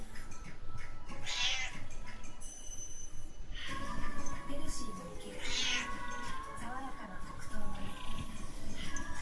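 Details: Munchkin cat giving two short, bright meows about four seconds apart, with a person talking and faint music underneath.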